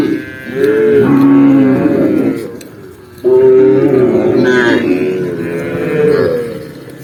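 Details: Cows from a huge tame herd of tens of thousands walk across open countryside by day. Long, deep, drawn-out moos rise and fall, with two main calls about two seconds apart. A faint musical hum sits beneath them.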